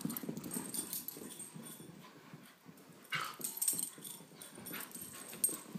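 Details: During play between a 17-month-old Beagle mix and a 10-month-old Great Pyrenees, low gruff growls and huffs come in quick irregular bursts. One brief higher whine-like sound stands out midway, mixed with scuffling and bumping.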